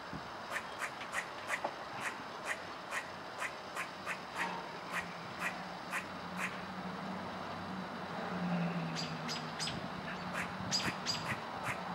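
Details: A squirrel giving sharp, husky chucks about twice a second over a low steady hum, recorded 4-12-16. The recordist had never heard this sound before and suspects he caused it.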